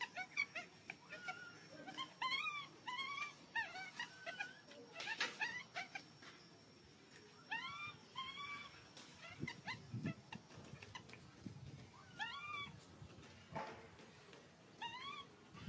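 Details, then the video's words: Hungry infant monkey pleading for milk with repeated curved, whining cries, each bending up then down, arriving in clusters separated by short pauses, some with a breathy rasp, over soft room noise. "Baby monkey hungry milk crying so loudly to ask milk."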